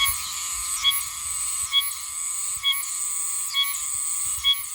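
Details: Oshima cicada, an autumn cicada of Okinawa recorded in Yomitan village, singing high in trees: a continuous high buzzing drone with sharp pulsed accents repeating roughly every second, steady and insect-like.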